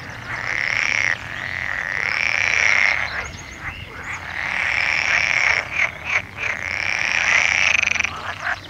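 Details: Frog trilling in extended, slightly wavering bouts of one to two seconds with short gaps, some rapid clicking between bouts, over a constant low background hum.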